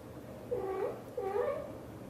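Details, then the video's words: A British Shorthair mother cat speaking to her kittens: two gentle, wavering meows in quick succession, each bending up and down in pitch, with a faint steady background hum. "The sound of the mother cat talking to her kittens is so sweet"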